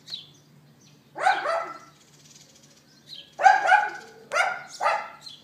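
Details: Neighbour's dog left outside, recorded April 18th 2012 late morning on an iPhone 4S, yapping in short harsh barks: one at a second in, then a quick run of three after a pause, over a low steady hum.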